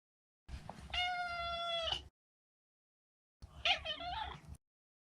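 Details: Neutered male pet Maine Coon indoors: a long level meow of about a second and a half, then after a pause a shorter, warbling, broken mew.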